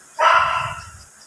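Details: Bane the Phantom Silver Poodle, a dog in Bolinao, gives a single loud bark of about one second, sharp onset then fading, with a low rumbling undertone beneath it and a quiet background.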